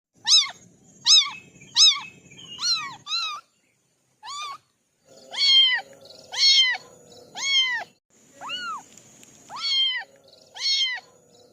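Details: Kittens from a family of four calling in a rapid series of about a dozen high, arched meows, each rising then falling, in short bursts with brief pauses between groups.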